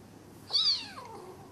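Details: Bengal kittens sparring in play at home in Kuching, Sarawak, Malaysian Borneo; one short high meow that rises then slides down, heard once over a quiet room.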